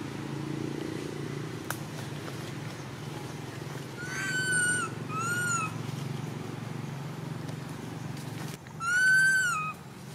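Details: Poor little baby monkey crying non-stop when its mother does not care for it: three drawn-out, arching, tonal wails with rich harmonics, each about half a second long, over a steady low hum.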